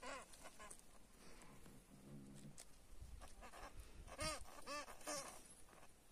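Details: A European hamster caught by a cat gives short, harsh, arching squeals in quick bursts over rustling noise.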